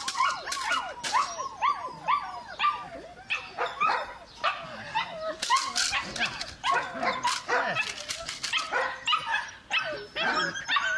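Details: Belgian Malinois puppy giving a rapid series of high, arching whimpers and short yelps, several per second, with sharp clicks and scuffling noises between the cries.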